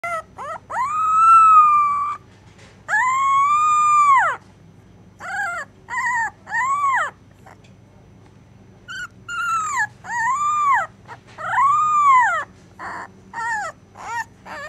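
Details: A puppy named Neshima whimpering in her sleep during a nightmare: long, drawn-out whining cries that rise and fall in arcs, broken by short pauses, with a few shorter yelping whines later.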